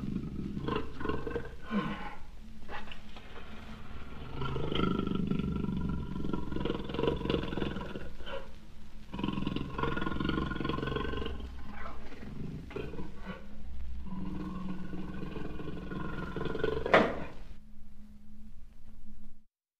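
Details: Jaguar roaring in a sustained, deep, rumbling series of growled roars lasting nearly twenty seconds, dense low-pitched energy with rough pulses, a sharp brief crack near the end, then a quieter low hum.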